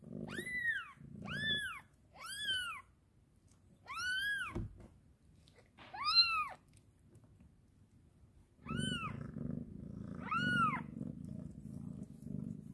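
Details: Kitten meowing happily while its mother cat grooms it: about seven high, arched meows, several in quick succession then spaced pauses, over a soft rhythmic purring in the background.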